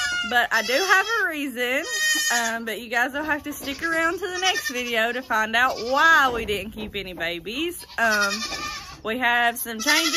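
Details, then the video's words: Many baby goats in the 2022 kidding season bleating at once: a continuous, dense chorus of quavering, up-and-down cries with barely a gap, loud throughout. "So many LOUD baby goats!"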